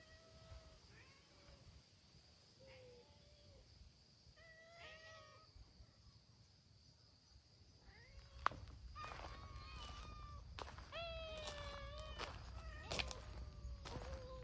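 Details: Community cats of Hime's brown-tabby-and-white team at an outdoor gathering: scattered flat and sliding meows, growing louder and more crowded in the second half, with clicks and other bursts of noise, over low background hum.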